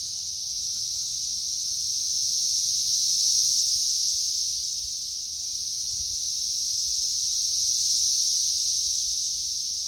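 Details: A mass of periodical cicadas swarms a tree in May 2024, during the third week of the emergence. Their unbroken shrill buzzing chorus rises and fades in two slow waves.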